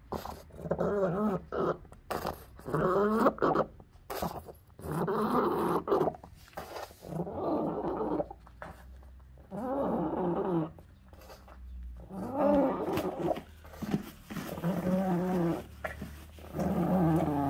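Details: Seizure from encephalitis returns in a pug, which groans and wails in a long series of rough, wavering cries roughly every two seconds. Pitch rises and falls within each moan.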